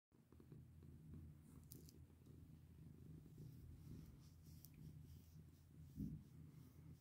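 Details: Domestic cat named Bini purring while being petted indoors: a steady low rumble with a pulsing texture throughout, a few soft rustling clicks from handling, and a brief louder bump near the end.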